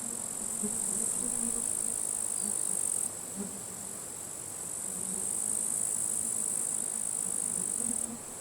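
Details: Grasshoppers in withered grass at a forest edge keep up a steady, high-pitched, crackling stridulation on a sunny, windy late-July summer day, with soft wind noise.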